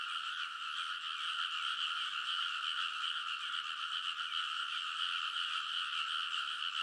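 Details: Frogs in a loud midnight chorus on the ridges of a rice paddy in Kōnosu, Saitama, Japan, early summer, recorded on a TASCAM Portacapture X8; dense overlapping croaking forms steady bright bands, a continuous pulsing wall of sound.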